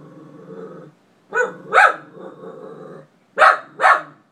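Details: A dog spends five minutes barking at an empty closet, giving two pairs of sharp, loud barks between stretches of low, rumbling growling.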